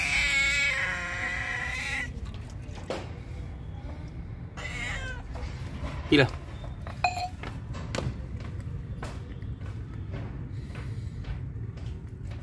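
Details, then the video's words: Hungry cat drinking milk gives one long harmonic meow at the start, then quieter clicks, brief squeaks and a person speaking over steady background noise. "Cat 🐱 meow meow || Hungry Cat || Drinking milk"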